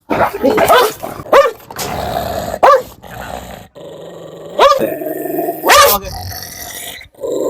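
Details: Leashed dog known to bite, confronted by people; sharp arching barks recur at uneven intervals with rough growling between them, and people talking nearby.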